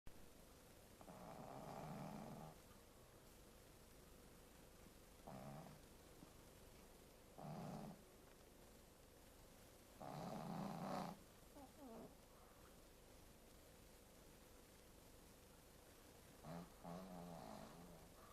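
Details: Shih Tzu named Saru snoring, dated 102.10.22: low rasping breaths with strong low buzz, five main snores of roughly half to one second each at irregular intervals, quiet gaps between.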